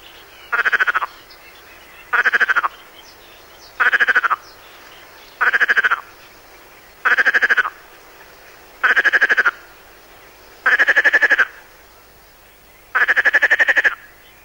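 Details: Perez's frog, a species of the Mediterranean coast, recorded for a 1996 French teaching tape: a series of brief, harsh, rattling bursts of rapid pulses, about eight in fourteen seconds, evenly spaced against faint background hiss.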